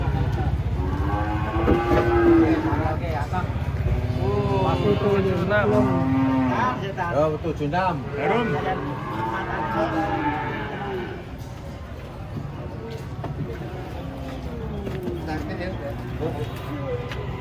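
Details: Big cattle being pushed down from a truck, one hesitant to step off: a short low moo and a longer wavering one amid shouted warnings, crowd voices and a running vehicle engine.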